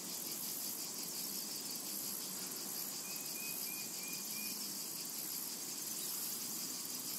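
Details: Summer meadow cicadas keep up a constant high, sizzling drone; midway a bird gives a brief run of four or five quick chirps over the insect sound.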